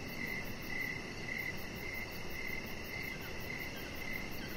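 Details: On an evening deck beside a resting chihuahua, crickets chirp in short, evenly spaced bursts, about two each second, against faint high ticking and a steady low background hum.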